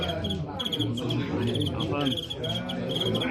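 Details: Fighting crickets chirping in a steady run of short, shrill pulses. The pulses come several times a second throughout, partly under a man talking in Cantonese and a low background hum.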